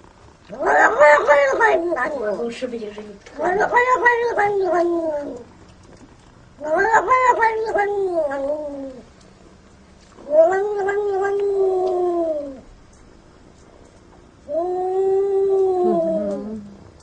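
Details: A jealous house cat yowls in five long, moaning wails, each lasting about two seconds and coming roughly every three seconds. Some wails rise then sag at the end. No other sounds intrude.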